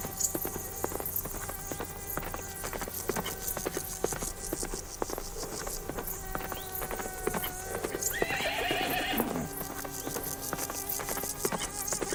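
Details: Horse on a farm among a herd, steady clip-clop of hooves throughout, then a shrill, shaky neigh of about a second that drops in pitch near the end; a faint continuous hum persists.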